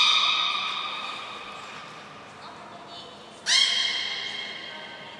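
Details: Belugas in training at Port of Nagoya Public Aquarium, 7 June 2022, with Gray, Nana and Mirai. A sustained, harmonic, buzzy tone fades away, then after a quiet gap a second bright call starts abruptly and slowly decays.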